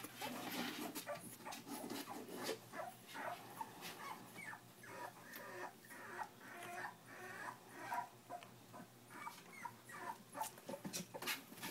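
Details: Three-week-old puppies from a Jack cross litter: faint, short, high whimpers and squeaks repeated irregularly, several small voices overlapping, with soft rustling and background hiss.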